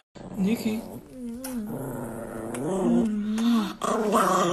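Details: Angry Chihuahua growling indoors in a small room, a sustained low rumbling growl that wavers slightly in pitch over several seconds, with a person talking over it and brief background music.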